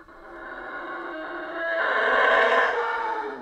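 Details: Howler monkeys in the Central American rainforest: a deep, rough roar that swells steadily in loudness and holds strong before easing off near the end.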